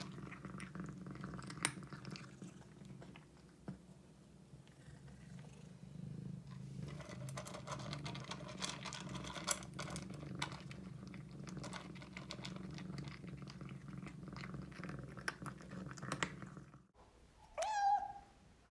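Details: Domestic cat being fed indoors by a young girl before bedtime: a steady low purring rumble with scattered clicks of eating and chewing for most of the time, then one short, clear meow near the end.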